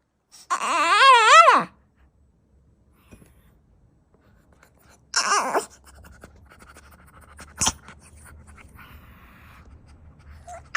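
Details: Dog indoors giving strange warbling whines, one long wavering cry near the start and a shorter one midway, followed by low rumbling background noise and a sharp knock.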